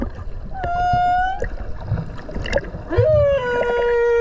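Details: Whale singing underwater off Okinawa, recorded while swimming close beside it: long sustained tonal moans with rich harmonics, one level held note followed by a second that rises then holds steady, amid bubbly water noise.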